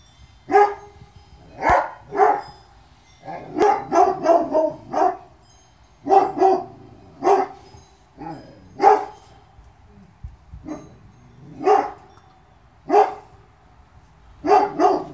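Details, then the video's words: Presa Canario puppies from a litter born 2/10/2016, two males and two females, bark in a steady series of sharp yaps, often doubled or in quick triplets, with brief pauses between bursts. "PRESA CANARIO PUPPIES"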